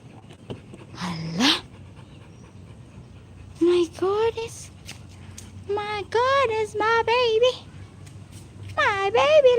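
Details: Pet Rottweiler, fetching a green ball from a swimming pool, gives high whining cries that rise and then fall, about nine short bursts in clusters, while a woman talks affectionately over it.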